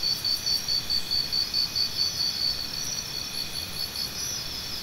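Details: High, rapidly pulsed cricket chirps repeat about twice a second for most of the stretch, fading into a continuous insect drone, played as natural sound therapy for tinnitus.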